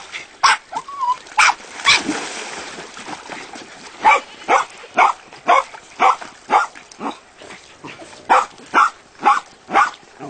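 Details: Jack Russell Terriers at a breeding kennel bark in sharp, high yaps, about two per second in a steady run.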